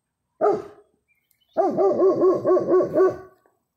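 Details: German Shepherd calling out to a neighbour's dog: one short bark, a pause, then a rapid run of about six wavering, yodel-like barks, loud and close, with no other sounds.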